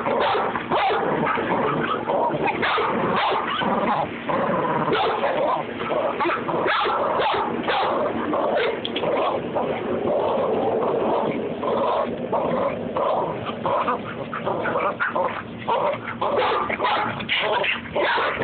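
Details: Babygirl, a pet Rat Terrier, in a play tussle with Levi, keeping up a constant rumble of growls, snarls and short yips with barely a pause for eighteen seconds.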